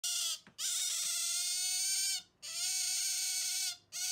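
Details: A pet Asian small-clawed otter refusing to give up a stuffed toy gives shrill, sustained squeals, each held well over a second, in three bursts with brief pauses between.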